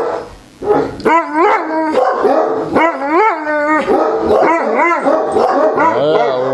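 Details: Neapolitan Mastiffs at night, settling down five minutes after raging at the door when a lost stranger knocked: overlapping harmonic whining howls and short rising yelps, several dogs vocalizing continuously, with a woman's calming voice nearby.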